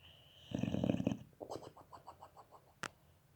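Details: German Boxer puppy sleeping, puffing its cheeks while snoring: a buzzy, rattling snort of about half a second, then a run of soft pulsing puffs, with a sharp click near the end.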